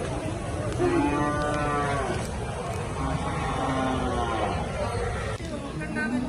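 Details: Cattle at the Chattipparamb cattle market in Malappuram, Kerala, India, lowing in a long drawn, wavering moo with rich harmonics while other animals call and traders talk in Malayalam over a steady crowd murmur.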